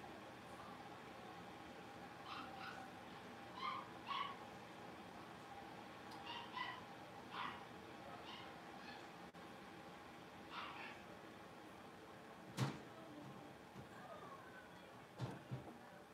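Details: Playful blenheim Cavalier King Charles Spaniel puppies from a five-pup litter born on New Year's yelp and squeal in short high bursts, with a few sharp knocks and bumps in a humming indoor pen.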